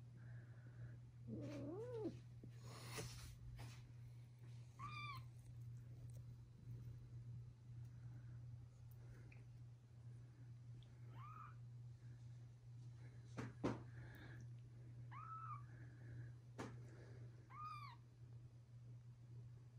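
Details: Newborn kittens meeting older siblings utter scattered short, rising mews, about six spread across the recording, amid a loud low hum, sharp clicks and handling noises.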